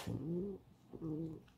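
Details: Alice, a pet fox kept indoors and hungry after eating little, gives two short tonal whines in quick succession, each a steady, slightly rising moan about half a second long, in a small quiet room.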